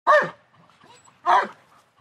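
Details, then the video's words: German Shepherd dog giving a double bark: two loud, full, husky barks about one second apart, with soft panting and small noises between them in an otherwise quiet setting. "Dog German Shepherd Barks Double"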